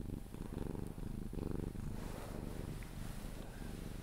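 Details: Cuddled Sphynx cat Pepe giving a low, throaty purr that keeps going through each breath, swelling and easing in a soft rhythmic rumble before sleep.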